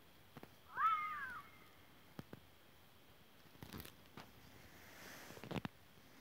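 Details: Fox voicing one loud, wavering, meow-like cry lasting about half a second, with a rough, complex tone. A few sharp clicks and faint knocks follow in an otherwise quiet setting.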